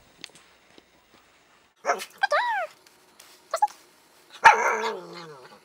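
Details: Five-year-old female Siberian Husky speaking on command indoors: a few short harmonic yips with bending pitch, then a louder, rougher yowl that trails off. Brief human voice nearby.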